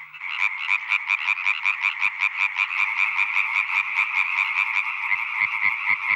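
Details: A male European tree frog (Hyla arborea) sings in a wetland in northern Isère, France, where males may repeat the call up to 35,000 times a night and females prefer low, powerful, fast songs. Here it gives a fast, steady run of loud, harsh croaks, about three per second.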